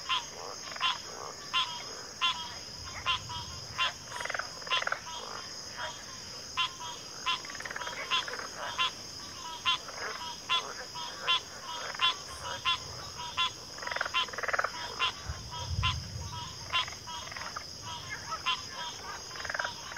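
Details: Backwater frog chorus with pig frogs and water frogs: many short croaks and clicks repeating in quick irregular bursts, overlapping callers, steady high insect-like hiss throughout.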